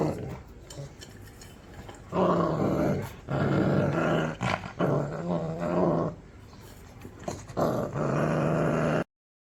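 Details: Puppy growling hard in long, rough, rumbling bursts lasting a second or two each, separated by brief pauses, over a steady background hiss.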